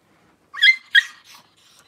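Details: Newborn Cavalier King Charles Spaniel puppy, one of the first litter whelped by the mother dog Paris, squeals twice in quick high-pitched bursts about a third of a second apart, followed by a fainter third cry, in a quiet indoor room.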